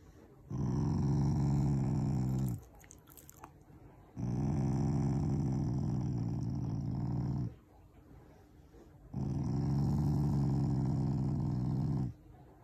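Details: Affectionate growling from a pet Shiba Inu that is not angry at all, a loving family member: three long low rumbling growls of two to three seconds each, separated by short quiet pauses.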